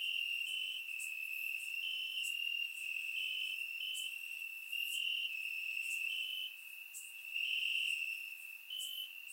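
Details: Night chorus of crickets in Bulgarian grass on a warm summer night, surround-miked: continuous shrill ringing tone broken into brief raised pulses, layered with sharper high ticks from other insects nearby.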